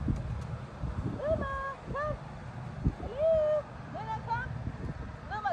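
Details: Luma, a six-month-old teacup poodle at a Central Florida dog-training session, gives short, high, arching whines and yelps, some rising and some falling. The cries come in bursts across the clip over low rumbling background noise.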